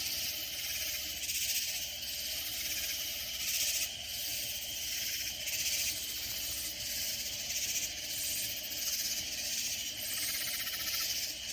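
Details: Loud katydids calling near San Antonio in the Texas Hill Country: a dense, hissing high-pitched insect chorus swelling in rhythmic pulses roughly every two seconds, steady throughout with no other clear sounds.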